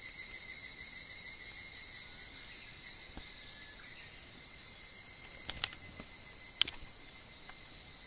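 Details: Higurashi, the evening cicada, singing in the summer pre-dawn: an unbroken shrill metallic hum sustained throughout, layered with softer lower tones, and a few sharp clicks and taps near the end.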